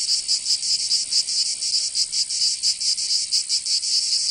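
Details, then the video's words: Provençal cicadas singing in summer, southern France: a piercing high-pitched rasp with uneven, wavering pulses rising and falling several times per second, steady in loudness throughout. "Canto Cigarra 🦗 [ Escuchar les cigarras en verano 10 H]"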